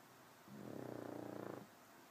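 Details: TiVo the pug snoring while asleep: one sustained, buzzy, vibrating breath of about a second, evenly pulsed like a purr, over quiet room hiss.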